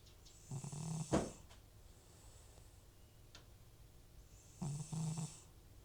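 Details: Aged rescue cat Butcher, who has FIV and chronic sniffles, snoring heavily while asleep: two stuttering, low droning snores split into short pulses, about four seconds apart, with a sharp tap heard near the first.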